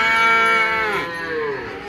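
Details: Cattle at the Ambarketawang cattle market in Gamping, Yogyakarta, Indonesia: one loud, close, strained moo, a rich harmonic call that bends downward midway, with market bustle behind.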